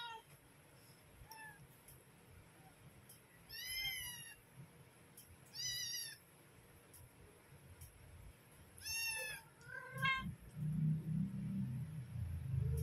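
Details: Mother cat calling her kittens to come and feed: several high, harmonic meows with arched pitch, around 4, 6 and 9 seconds, then shorter lower mews and a burst of low rumbling noise near the end.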